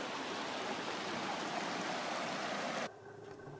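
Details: Steady rushing water like a stream or small falls fills the clip, dropping to a quieter hiss near the end, with no animal calls.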